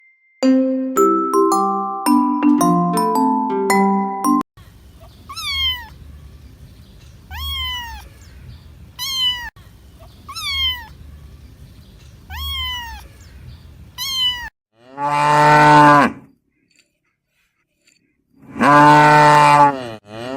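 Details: Kitten meowing: about four clear, descending, slightly strained meows spaced roughly two seconds apart, preceded by bright glockenspiel-like music and followed by two loud, broad bursts from other animals.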